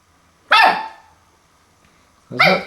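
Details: Puppy Max barking at his reflection on first meeting a mirror indoors: two loud, sharp barks about two seconds apart in an otherwise quiet room.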